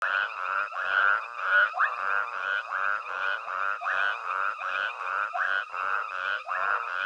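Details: Nighttime chorus of many frogs at Hwange Safari Lodge while a herd of elephants with a tiny calf forages nearby; dense overlapping croaks pulse roughly every second in a steady, busy wall of sound with no other clear noises.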